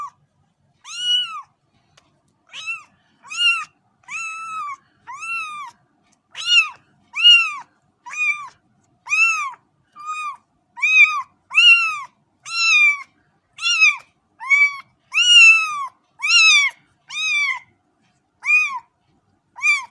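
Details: Cat giving a long, steady series of short, high, arched meows, about one each second, some slightly rising and others dropping at the end, with no other sounds.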